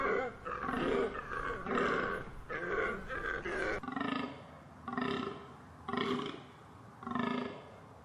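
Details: A deer gives a run of rough, grunting bellows, faster and choppier at first, then slowing to evenly spaced, slightly softer moaning calls about once a second.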